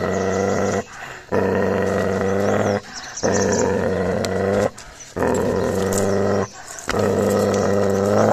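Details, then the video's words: Gaddi dog puppy growling aggressively while attacking another dog: four long, deep rumbling growls, each about one and a half seconds, separated by short pauses for breath. "Puppy Aggression | Gaddi Dog Pe Attack Kiya | Dog Fight"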